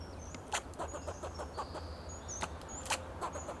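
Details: Fox squirrel on a Monterey pine in Del Monte Forest, California, giving alarm calls to protect itself and its territory: sharp clicking chucks in loose series with two louder bursts, faint high bird whistles and a steady low hum behind.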